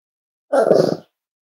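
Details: Five-week-old Cavalier King Charles Spaniel puppy from Myra and Remy's litter at Red Barn Cavaliers, indoors during weight checks: one short, harmonic, grunting yelp lasting about half a second, with silence before and after.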